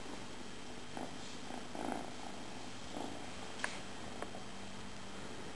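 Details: Indoor domestic cat giving a continuous quiet, low purr, with light shuffling noises and one sharp tick partway through.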